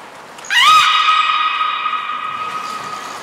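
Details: Captive beluga, Niko or Mirai, in training at Port of Nagoya Public Aquarium, February 2020: a quick rising squeal that settles into a long, level, clear harmonic tone, slowly fading over nearly three seconds.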